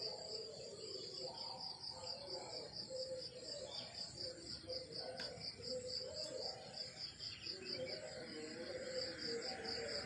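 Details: Crickets in morning countryside produce a rapid, regularly pulsed high chirping for the whole stretch, with a brief sharp click midway and soft lower warbling sounds behind.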